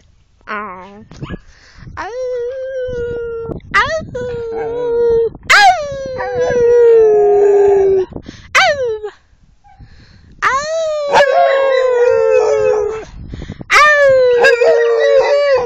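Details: Pet dog howling: a series of long, rich, harmonic howls, each starting higher and sliding gently downward, some wavering, separated by short breaths and brief higher yelps.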